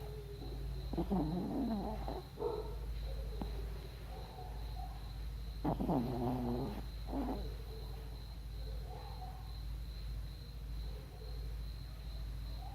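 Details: A pet dog snoring while asleep and dreaming: two bursts of rough, rasping breaths, each about a second and a half long and roughly four seconds apart, with softer breathing noises between them over a steady low hum.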